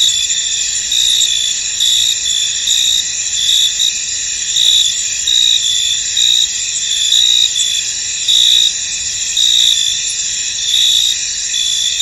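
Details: Crickets in a misty field, a dense chorus of steady high-pitched trilling with brighter chirp pulses in short bursts recurring about every second, layered continuously with no other clear sounds.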